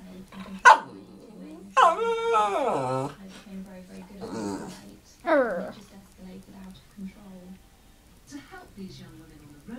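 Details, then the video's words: A pet Shih Tzu vocalizing at a parrot indoors: several drawn-out, wavering whines and howl-like cries separated by pauses, some bending downward, with a steady low hum and a person speaking. "My dog talking to our parrot"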